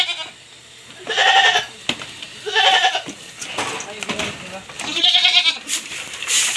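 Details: Pregnant goats kept on a backyard farm bleat at feeding time: three wavering, nasal bleats about a second and a half apart, mixed with a man talking and faint background music.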